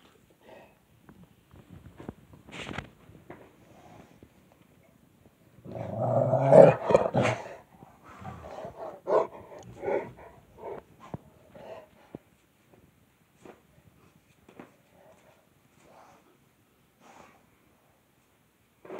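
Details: Two Rottweiler brothers after Thanksgiving, heard in low rumbling growl-like bursts. The loudest and longest comes near the middle, and shorter grunts and huffs are scattered before and after, with quiet gaps between.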